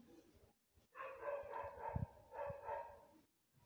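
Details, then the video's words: White street cat, lost outdoors, gives two long wavering meows in quick succession, each rich in harmonics, with faint low thuds beneath and a quiet pause before and after. "A lost white cat in the street | poor cat"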